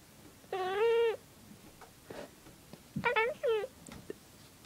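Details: Indoor pet cat reacting to a bird: a single short chirping meow, a pause, then a quick pair of clipped, rising chirps.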